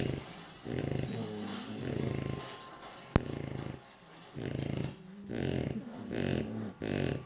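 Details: French Bulldog snoring loudly while napping, deep rattling rumbles roughly once a second.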